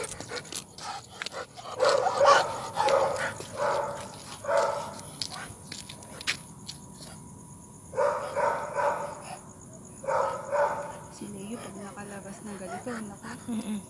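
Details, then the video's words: Night walk with a Rottweiler: clusters of quick barks arrive in uneven volleys, separated by quieter gaps, closing with a lower drawn-out sound near the end over steady background hiss. "A Night Walk With Rott"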